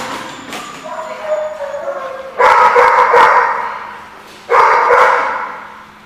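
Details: Dogs recorded 4/10/15 give a rough chorus of barks and yips. A quieter stretch is broken by two loud surges of many overlapping barks, each fading over about two seconds.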